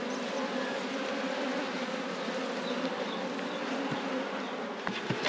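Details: Honey bees in a managed apiary hive during a beekeeper's inspection: a steady, even droning hum with a low fundamental and a clear overtone band, holding constant for the whole stretch, with a faint tap or two near the end.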